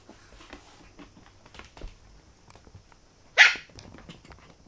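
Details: Parti-colored poodle puppy indoors in a small room: one sharp, high bark near the middle, surrounded by soft scuffling and faint rustling sounds.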